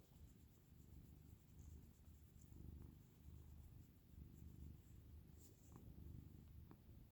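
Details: A sleeping dog snores at night while everyone else sleeps. A low, steady rumble swells and fades about every one to one and a half seconds, with no voices or other sounds.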